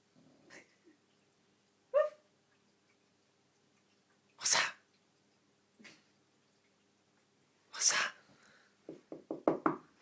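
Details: Pet dog Skye asleep and snoring hard indoors, giving a series of sharp, breathy snorts and wheezes spaced a few seconds apart, ending in a quick run of short stuttering puffs.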